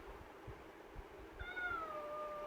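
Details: Caged kitten Pavi kutty pleading to come out; after soft thumps, a single falling meow, starting high and sliding downward, fades out at the end.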